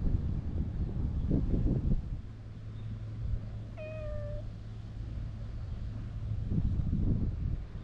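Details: Brown tabby-and-white stray cat met on a Japanese cat island, tickled during a GoPro recording: a single short meow that starts high and slides downward, set between bursts of rustling and low handling rumble.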